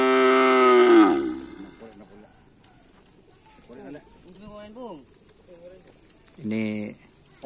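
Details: Racing cattle at Karapan sapi bull-race training on Lapangan Asemanis field give one loud, full-toned moo of about a second, followed by scattered people talking and some background noise.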